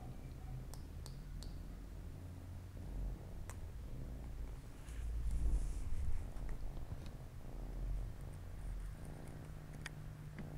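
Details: Siamese mother cat with four playful kittens on a Saturday afternoon; a deep, rhythmic purr pulses steadily, growing louder around the middle, with scattered sharp clicks and light rustling.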